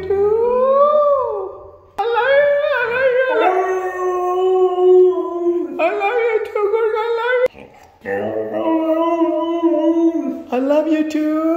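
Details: Red female Siberian husky giving long howling, talking-style cries: sustained harmonic tones that rise and fall in pitch, broken by short pauses into several drawn-out phrases, with an owner's voice nearby.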